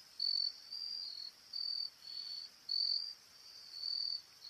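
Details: A Carolina grasshopper (Dissosteira), black-winged, gives short, high, buzzy bursts in a loose repeating rhythm during a male-female courtship display.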